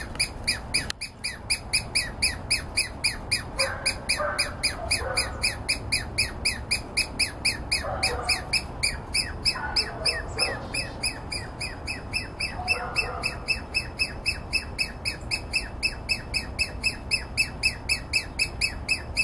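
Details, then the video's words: Douglas squirrel, a small vocal squirrel of dense conifers, apparently alarmed but unbothered by a person walking close; rapid, steady train of sharp chattering notes, about four per second, with a few lower squawks from another animal mid-clip. "Douglas squirrel making noise"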